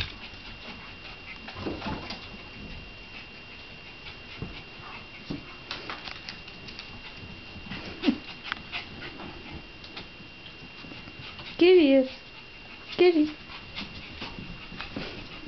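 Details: Shiba Inu mother with two puppies; two short, high whimpering squeals near the end, each bending up then down with bright overtones, after quiet stretches of soft pattering, shuffling and faint panting.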